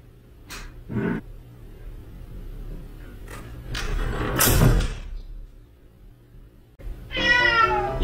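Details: Rescued female street cat named Kkomaengi, also called Seoljeomi, opening the bedroom door at home; a single harmonic meow near the end, preceded by thumps and rustling with a low background hum.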